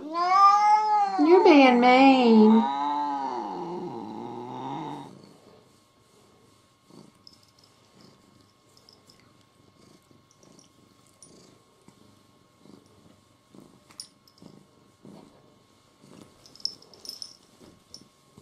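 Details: Indoor cat Mo, sulking from jealousy over a small kitten, produces loud warbling yowls with bending pitch for about five seconds, then near quiet with faint scattered clicks and small noises.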